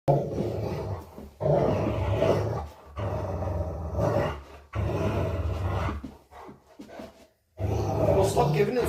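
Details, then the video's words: Rottweiler growling while playing indoors; low rumbling growls in long bursts of one to two seconds with short pauses, a person's voice mixed in. "Rottweiler growling and playing"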